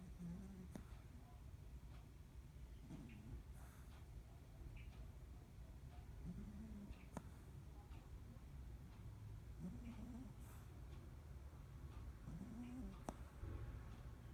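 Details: Preston, a Cavalier King Charles Spaniel, snoring softly: low, rough breaths that swell and fade roughly every three seconds over a quiet indoor hum, with faint clicks and small background noises.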